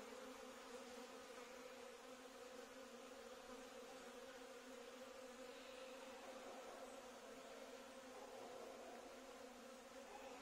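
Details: Bees swarming in a courtyard produce an unbroken, steady droning hum that stays level throughout, with no other clear sounds.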